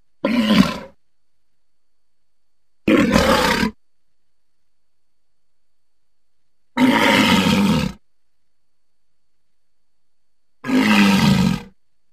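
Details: Four short, harsh roaring calls from a walrus, raspy and full across low and middle pitches, each lasting about a second and spaced by gaps of two to three seconds of silence.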